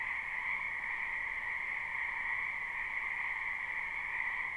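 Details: Steady, dense croaking from numerous wild frogs in a wetland in spring, live recording: a continuous shimmering wall of calls in two stable pitch bands, unchanging throughout.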